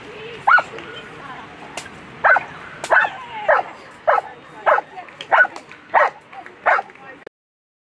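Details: German Shepherd at a World Championship agility run, sharp barks repeated roughly every half second to second, about eleven in a row, with faint background voices of a crowd.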